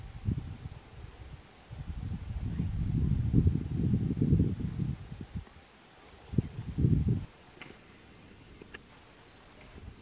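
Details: Low, rumbling groans of a fallow deer in the rutting season on the Sierra del Sueve, Asturias: a sustained run of rapid pulses early on, a pause, then two short bursts before quiet ends the recording.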